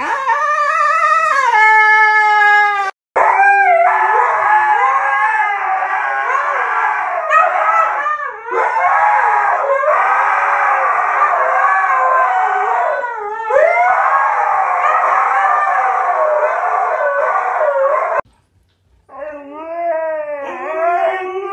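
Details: Siberian Husky howling and yodelling in a rapid, wavering stream. A clear rising howl opens it, then dense warbling, undulating vocal runs continue almost without pause. Short, higher wavering howls close it after a brief gap.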